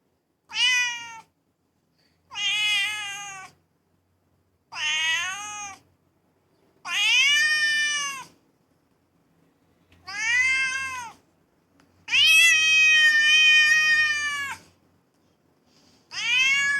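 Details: Domestic cats giving a run of seven meows about every two seconds, mostly short and bending upward or arched, with one long, strained meow near the end.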